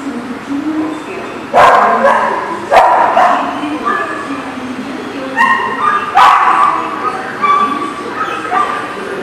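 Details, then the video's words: Dog barking, recorded 9/10/18: a few loud, sharp, harmonic barks spaced one to several seconds apart over a murmur of human voices and background noise. "The Barking Lot"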